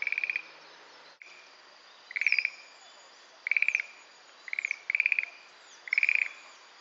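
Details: A Schlegel's green tree frog calls from a Carex sedge thicket in Itsukushima marsh, giving light, castanet-like short high rattling trills, one burst every second or so.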